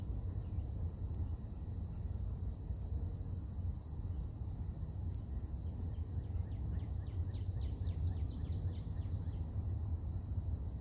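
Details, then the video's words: Steady high cicada hum on a quiet morning in nature, unbroken from start to finish, accompanied by rapid repeated bird chirps and sliding notes, all above a deep rumbling background. "Relax With Cicadas Nature | Calming Insect Sounds"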